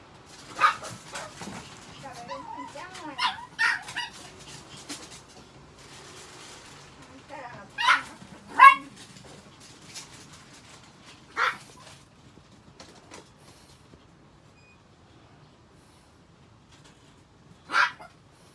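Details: A pet Chihuahua at home during its care gives a handful of short, sharp barks and yips, scattered across the recording with long gaps between them, while a person talks softly in the background.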